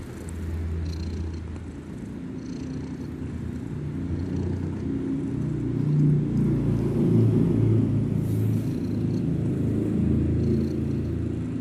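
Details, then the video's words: Loud snoring from a kitten asleep, heard as a low throbbing rumble pulsing about three times a second. It swells louder midway and stays strong to the end. "bayi kucing ngorok nya gede pas bobok"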